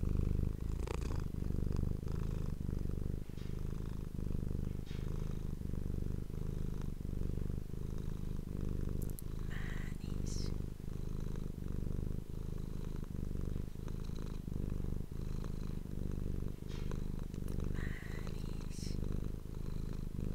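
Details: Domestic pet cat recorded close up on an ASMR microphone, purring steadily for the whole stretch: a deep, continuous vibrating rumble with regular in-and-out breath pulses, and occasional faint clicks and rustles above it.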